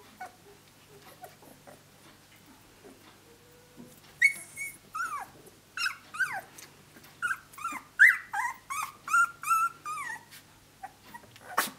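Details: Australian Shepherd pups, 17 days old, walking around and playing together while vocalizing: soft scattered whines at first, then a run of high whimpering yelps and squeals, some sliding down in pitch, several each second.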